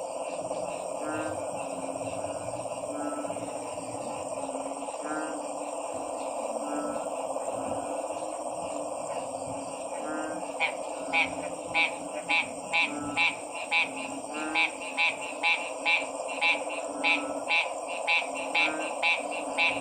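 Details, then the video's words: Frogs give a few scattered croaks at first, then halfway through break into a fast, regular series of loud rasping pulses over a continuous background drone. "Stressed Relieving Sounds of 🐸 Frog's"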